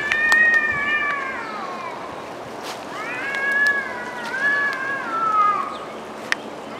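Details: Cats arguing in the woods; drawn-out wavering yowls with rising and falling pitch, one long wail then a second bending cry, with a few sharp clicks in the background.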